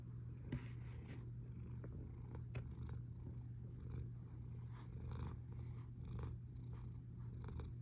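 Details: Domestic cat snoring, recorded 1 August 2021 at 13:27: a low, steady rumbling with soft broadband breath bursts roughly every second, over a constant low electrical hum indoors.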